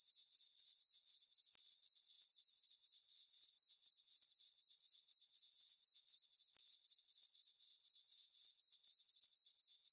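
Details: Night chirping of crickets in a summer meadow on a farm beneath a full moon, a thin, high, evenly repeated pulse around four times per second, steady throughout and free of other noise.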